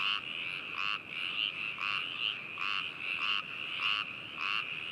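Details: Frogs calling at Hakushu, Hokuto, Yamanashi, Japan, recorded 4 May 2018 with binaural microphones: a dense chorus of trilling calls, a pulsed burst about every 0.8 seconds over a steady high trill, several frogs overlapping.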